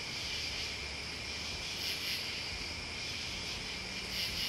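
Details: A dense cricket and insect chorus, an unbroken high trilling drone, with a few short, very high bursts standing out near the start and end over soft low background noise.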